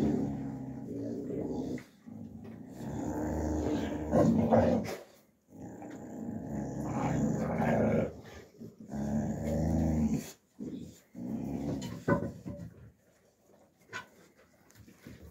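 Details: Young Alabai puppies fighting in winter, 2023: low, rough growling in sustained bursts of one to three seconds, broken by short silences, with a few snarling peaks and some scuffling noise toward the end.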